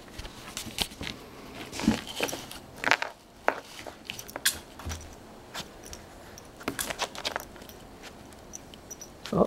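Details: Indoor talking mixed with crisp crunching and clicking, like ice being knocked about and bitten, with sharp taps scattered throughout and no animal voice standing out.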